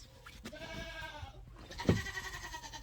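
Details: Nigerian Dwarf baby goats on a farm: a wavering, harmonic bleat lasting about a second, followed by a short sharp burst and low background rumble, with a woman talking just before and after.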